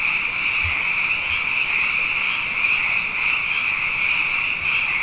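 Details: Many frogs calling at night after two wet years in a row, when frogs are abundant: a dense, steady high trilling chorus that runs unbroken, with a few faint low thumps underneath.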